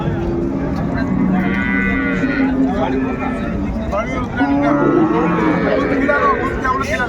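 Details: Cows and calves for sale at Ambari cattle market in Dinajpur, Bangladesh, 31 January; a female calf is brought forward. Short harmonic moos rise and fall amid constant trader chatter, market bustle and background music.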